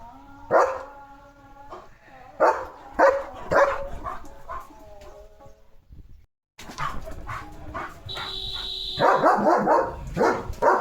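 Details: Leo the German Shepherd reacting with barks to dogs passing the house; a few loud barks over a steady tone, a brief gap, then a faster burst of barking joined by a high whistling tone and background noise.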